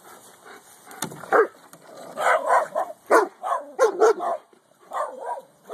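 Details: A female Boston Terrier, watching the neighbours and hating the Corgi next door, gives short, mid-pitched barks in uneven bursts, some edged with a whiny yip.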